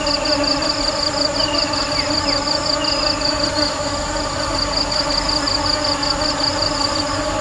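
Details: Honey bees (Apis mellifera) give a steady, droning hum layered with rich overtones and a faint high pulsing whine.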